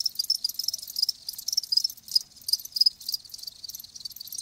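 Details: Close, loud chirping of live crickets: fast, sharp high-pitched pulse trains repeated several times each second in an unbroken rhythmic sequence.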